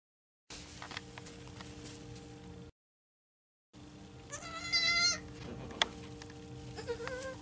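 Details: Baby goats (kids): a single high, wavering bleat with rich harmonics rises out of the middle of the recording, set against a steady electrical hum and scattered soft clicks, after a brief stretch of silence.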